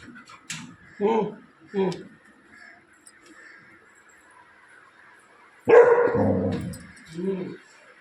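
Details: A Labrador Retriever, excited by a new baby at home, gives short woofs and one loud, sudden bark, with people talking and a faint background hum.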